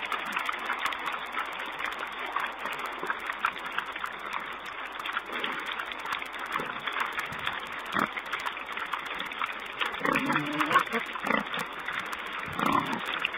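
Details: Wild boar piglets filmed by a wildlife camera on 4 May 2010; a few low, soft grunting oinks come through near the end over a constant broad hiss of background noise.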